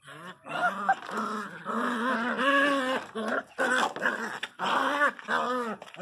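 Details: Miniature Pinscher named Teco crying very loudly: long, wavering, moaning whines whose pitch arches and slides, in drawn-out phrases broken by brief gaps, with a person talking to the dog in between.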